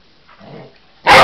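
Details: A Cocker Spaniel Husky mix seeing a toy animal for the first time, and seeming to think it real, gives one loud, sharp bark after a soft, low grumble.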